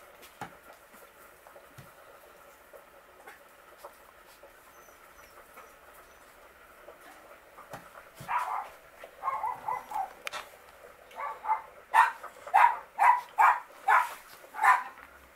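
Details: Miniature Pinscher puppies of the R litter, nine weeks old. Soft shuffling gives way to a run of sharp, high yelps and squeaks, about two a second, growing louder toward the end.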